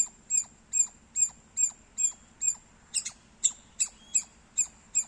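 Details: Loud squirrel chirping: short, sharp, high notes in a quick regular series, about two to three per second, with a couple of doubled, slightly harsher chirps midway.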